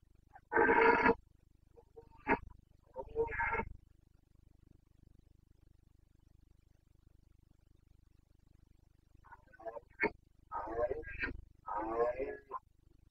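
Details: Rutting Carpathian red deer stag, Bucovina, breeding season, 29 September 2022 (boncănit): a loud, harsh, drawn-out roar, then shorter rasping bellows, a long pause, and a second burst of throaty roars against a low background hum.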